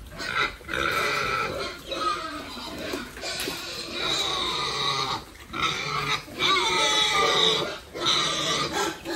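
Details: Several pigs on a family farm squealing and grunting almost continuously, high bright calls with short pauses between bursts, over steady background noise.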